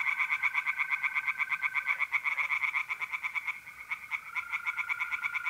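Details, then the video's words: April night in north-eastern Italy with tree frogs singing in a pond, a loud sequence of rapid rattling croaks that thins out midway then picks up again, while mole crickets keep a smooth continuous trill. "relaxing singing tree frogs in pond and trilling mole crickets by night"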